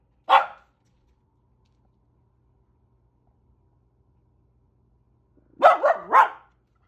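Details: Corgi barking to warn off cranes and geese: one sharp bark, a long silence, then a quick burst of three barks near the end.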